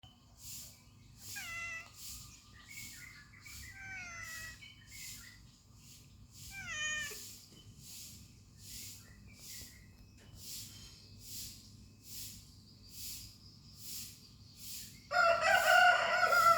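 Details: Pet cat meowing in short, rising-falling cries in a series over the first seven seconds, over a steady rhythmic pulsing background sound, ending with a louder burst of noise.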